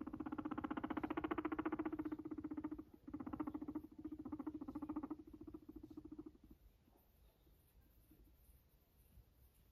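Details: Fluffy pet guinea pig giving a steady, fast, low buzzing purr of rapid pulses for about six seconds, broken by a short pause, then fading into quiet rustling.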